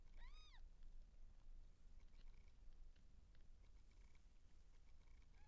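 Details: Seal point Siamese cat in labour, giving birth to kittens, lets out one short arched meow near the start, then only faint scattered clicks and a low steady hum remain.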